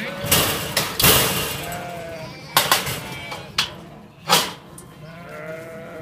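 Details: Sheep and lambs on a farm during May, kept for farming: several short, wavering mid-pitched bleats spread through the clip, broken by loud sharp knocks and bangs, with a steady background rustle.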